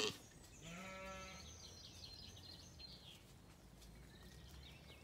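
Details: Zwartbles ewes and lambs in County Kilkenny, Ireland, settling at sunset after feeding; a single bleat with a long, rich quavering tone near the start, then twittering birds in the background.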